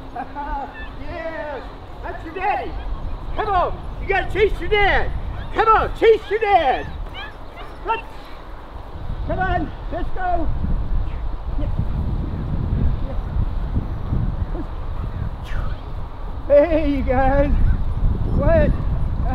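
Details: German Shepherd pups with their father during a day of work and play: high, arching yelps and short barks in quick bursts, densest in the first seven seconds, with people talking throughout.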